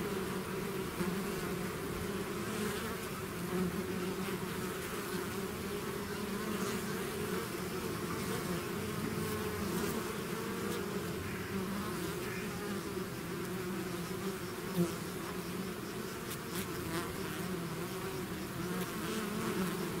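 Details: A swarm of bees out of its hive fills twenty seconds with an unbroken low droning buzz, level and steady, faint individual wingbeat flickers passing through.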